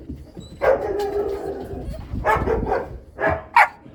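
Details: Cane Corso puppies, two of them, giving short barks and yips with a longer drawn-out whine-like bark near the start, alongside household noise and a voice in the background.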